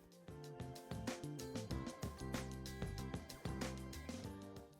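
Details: Instrumental music with steady low notes and rhythmic percussion, and no animal sounds.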